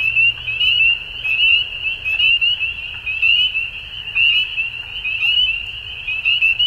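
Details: A dense chorus of frogs at dusk in spring in Ontario, Canada, gives high, pulsing trills that swell and fade roughly once a second.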